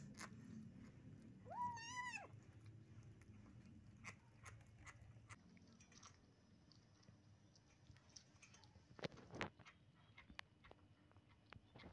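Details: A kitten eating steamed shark meat, its sticky flesh clinging to the mouth, gives one rising-then-falling meow about two seconds in, then keeps chewing with irregular crunching and smacking clicks.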